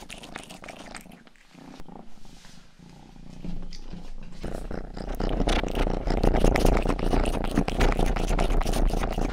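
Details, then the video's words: Rangi, a young pet cat, grooms ears indoors, starting with softer, sparse licking before a loud, rough, continuous purr rises with rapid wet tongue clicks over the second half. "ASMR 하는 고양이!(Purring & ear licking sound)"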